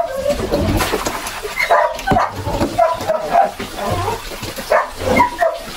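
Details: Several Belgian Malinois puppies whine and yelp while bathed and dewormed for the second time. Short, high, wavering cries overlap one another, with a person's voice and low handling noises mixed in.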